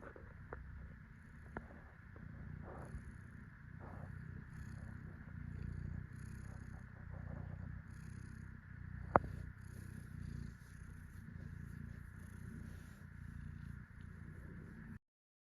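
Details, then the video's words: Contented tuxedo cat being cuddled by its owner, giving a continuous deep, low rumbling purr that holds steady throughout, with occasional soft rustles and a few faint clicks over a constant background hum. "Happy cat purrs while daddy cuddles it. パパに抱っこされて、嬉しみのゴロゴロ音。"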